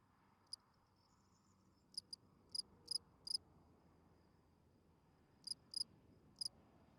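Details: Spring field cricket at night, its calling song for attracting females heard as scattered sharp chirps, singles and quick pairs separated by silent stretches, against faint low background noise.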